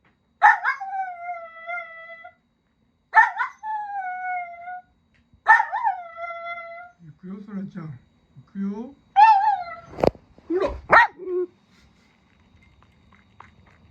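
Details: Pet Miniature Dachshund, one of a family of four Miniature Dachshunds at home, giving three drawn-out, steady, tonal howls of about two seconds each, followed by shorter whines, yips and a few sharp clicks.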